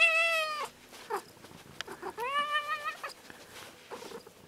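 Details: Pet cat that grows annoyed once a massage stops, voicing a long, loud, strained meow, then a second rising-falling complaint a second and a half later, with softer short chirps and rustling between them indoors.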